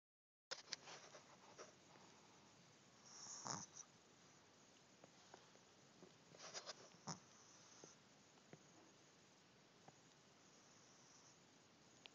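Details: A sleeping male Shih Tzu snores softly with faint snuffling breaths and a few louder snorts, likened to a little pig grunting; he had woken and dozed off again, so this is quieter than his peak.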